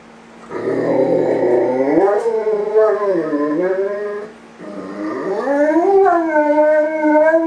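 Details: Great Dane. A Great Dane gives two drawn-out howls, each rising and then wobbling up and down in pitch, with a short breath between them. The howling comes from missing its owner after being left alone.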